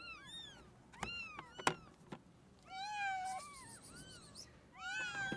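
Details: Stray kitten left in the snow at -11°C for two days, then rescued, cries in rising-falling meows, some overlapping and stretched, among a few sharp knocks and clicks.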